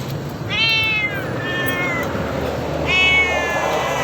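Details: Feral cats giving drawn-out, harmonic meows: one falling wail, a flatter second cry, then a third long meow after a pause, over steady hiss and a low background hum.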